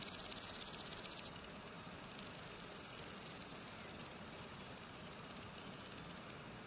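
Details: Grasshopper singing on a spring day: a dense, high-pitched hissing buzz of rapid pulses, loud at first, dropping after about a second, then returning steadily until near the end, with no other clear sounds.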